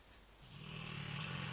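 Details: A big female Rottweiler snores loudly, a low rasping rumble that swells after a quiet start.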